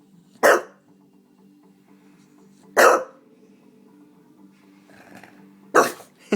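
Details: Pet Staffordshire Bull Terrier barking while being urged on, three short sharp barks spaced about two to three seconds apart, with a low steady hum underneath and a man's voice encouraging the dog.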